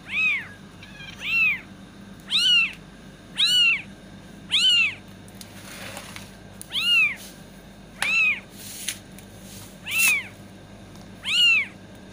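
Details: Steady series of ten bright, arched kitten meows, each rising and falling, repeated about every 1.1 seconds, sounded to attract cats, with a brief hiss of noise midway.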